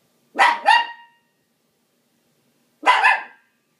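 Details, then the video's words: Dog barking at a dishwasher: a quick double bark, then after a two-second pause a single longer bark, loud and clear in a quiet room. "barking at dishwasher"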